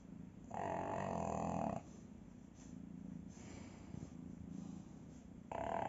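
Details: A pug sound asleep, snoring in a deep sleep: loud rasping inhaled snorts with a nasal whistling tone alternate with softer rumbling exhales, in a rhythmic cycle.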